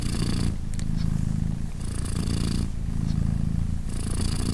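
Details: British Shorthair mother cat Polina purring beside her three 3-day-old newborn kittens: a steady low rumble pulsing in breaths, stronger phases alternating with softer breathy ones roughly every two seconds, with airy hiss on each breath.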